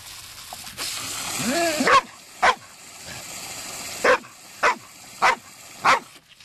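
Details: Female Labrador Retriever on a warm day, insisting on being given water from the garden hose after agility. A short rising whine is followed by five sharp, separate barks spaced roughly half a second to a second apart.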